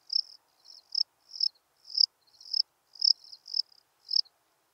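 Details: Melanogryllus desertus, the steppe cricket, recorded at Breitenbrunn, Austria, 23 May 2021, giving a string of brief shrill chirps about every half second, each a quick cluster of pulses, with no other sounds.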